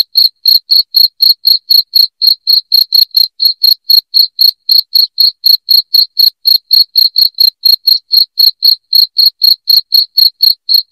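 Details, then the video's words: A long, unbroken run of loud, high cricket chirps for driving off rats, about forty pulses ticking by at a steady four per second, each bright and clipped, in complete quiet. "SUARA JANGKRIK NYARING"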